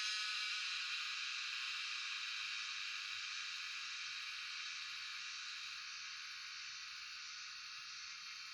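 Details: Shrill, unbroken cicada drone from Shivapuri National Park, Tarkeshwor, where these insects are known as Jhyaukiri; recorded on a cellphone, the high buzz fades gradually, with a faint very high pulsing tone repeating across it.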